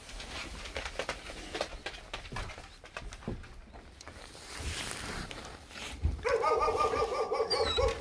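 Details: Korean Jindo father and daughter, Geumdong and Janggeum, waiting outside a door for dried pollock skin snacks in a rural Korean village; shuffling noises, then a short high tonal whine with layered harmonics near the end.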